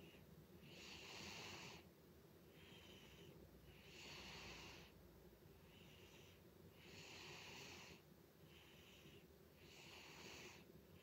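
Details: Loud snoring from Butters, a pet cat asleep indoors: breathy, rasping snores in a steady rhythm, with stronger long breaths alternating with shorter, softer ones about every one and a half seconds.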